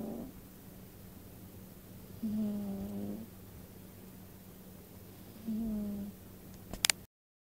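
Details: A pet cat snores in its sleep, two slow, low rasping breaths about three seconds apart over a constant background hum, ending with a brief sharp click.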